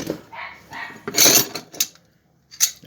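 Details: A female dog belonging to the speaker's sister barks and barks in short, sharp yaps in a workshop, mixed with a man's voice and the metallic clinks of tools being packed.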